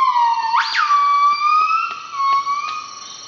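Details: Morning singing of Nomascus annamensis, the northern buff-cheeked crested gibbon, in northeastern Cambodia's Veun Sai-Siem Pang Conservation Area. A steady whistled tone leaps abruptly upward and back down, then continues as a long, gently wavering note.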